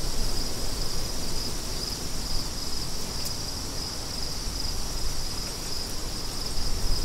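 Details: Crickets paired with wind as soothing study background: a steady, unbroken high-pitched shimmer of chirping runs throughout, underlaid by heavy low rumbling wind gusts that dominate the lower range.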